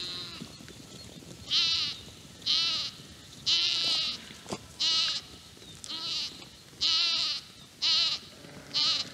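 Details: Urmerino ewe on a farm in Portugal calling constantly for her lost lamb; about eight loud, tremulous bleats come roughly once a second, each short and wavering, over quiet outdoor background.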